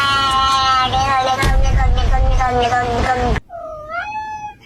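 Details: Domestic cat in a compilation of funny cat vocalizations: a sustained, strained yowl lasting about three seconds over background noise, followed by a short, rising and falling meow.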